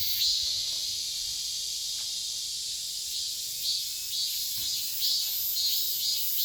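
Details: Korean cicada (chammaemi) in summer: a continuous high, hissing buzz with a few soft pulsed swells scattered through, fainter and less rhythmic than a full song, with a faint low rumble beneath.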